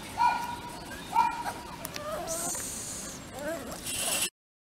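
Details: A tiny 1.2 kg female Yorkshire Terrier gives high, thin yips and whining squeals, about one a second.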